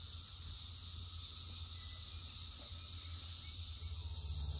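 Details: Red-eyed cicadas in huge numbers, many on one tree during the 2021 emergence, producing a continuous loud, shrill high-pitched buzz with slight fast pulsation and a low rumble beneath.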